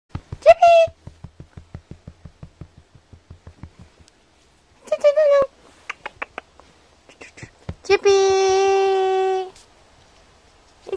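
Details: Mocubi, a five-week-one-day-old AKC micro teacup poodle puppy weighing 10.5 oz, at play indoors: a brief high whine, another short cry a few seconds later, then a sustained steady whimper lasting over a second, between soft tapping.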